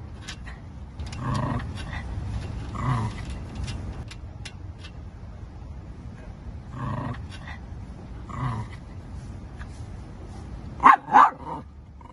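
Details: A Shih Tzu gives low, growly huffs, then two sharp, loud barks in quick succession.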